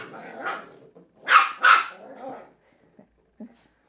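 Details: Young female Cairn Terrier, three months, playing fearlessly with an empty bottle: a soft bark, then two loud, rough barks close together with a growly tail, then near silence with a faint thump.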